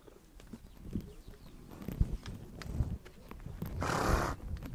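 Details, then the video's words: Horses on the Mongolian steppe shuffle and thud their hooves on the ground, then one horse lets out a long, noisy, breathy snort toward the end. "Relax listening to the sound of horses"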